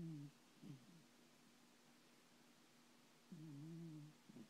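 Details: Thomas the cat, a pet, snores while sleeping and dreaming. There are soft, low, droning snores with a hum-like tone: one brief burst at the start, a short one near the first second, and a longer one of nearly a second after three seconds, in a quiet room.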